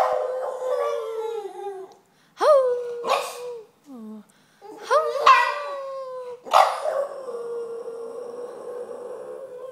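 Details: Boston terrier making weird noises: drawn-out, moaning whines and howl-like cries. Sharp rising yelps break into long, steady wails, with short pauses between the bursts.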